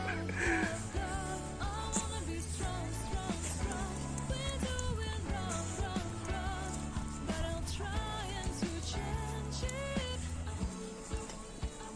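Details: A pop song with a sung vocal melody over drums and bass fills the whole stretch, with no animal sounds.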